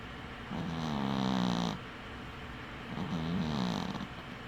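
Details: Dwarf cat Winky snores in its sleep, one eye open: a long droning, rasping inhale lasting over a second, a pause, then a shorter snore whose low tone wobbles up and down.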